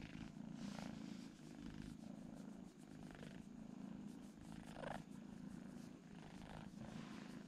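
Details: Sleeping twin kittens purring, a continuous low rumble with rhythmic swells roughly every second as they breathe in and out.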